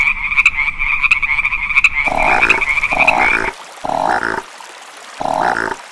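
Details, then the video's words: Frogs croak in short, harsh, nasal bursts, roughly one every second or so, over a steady high trilling chorus of other frogs. "Frog Sounds"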